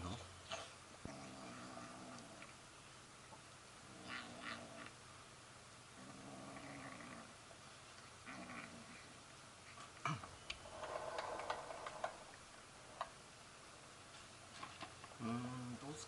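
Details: Hungry stray kitten fed indoors on a rainy day in Japan after scratching the window begging for food; low rumbling, purr-like bursts at regular intervals, brief higher sounds near the end, a person's soft voice nearby.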